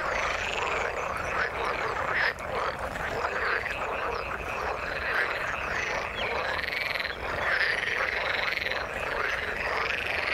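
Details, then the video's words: Frogs calling from the water in a busy overlapping chorus of rasping croaks, with occasional sharper chirping notes standing out briefly above the steady mass of calls. "Frog sound in the water"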